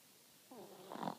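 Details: Chihuahua asleep and snoring: a soft, wavering nasal tone slides downward, then a louder rattling snort of breath follows, in a quiet room.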